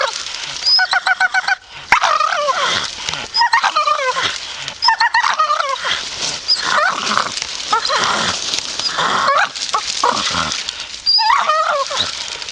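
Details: Grumpy Staffy vocalizing with drawn-out, wobbling groans and rising-falling whines in quick succession, some with a rapid stuttering edge, nearly continuous throughout.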